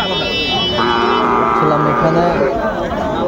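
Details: Sahiwal bull calves for sale at the start of trading at Ambari cattle market, Dinajpur, on 20 January 2025; a low, steady moo in two drawn-out parts with a brief gap, over crowd chatter and background music.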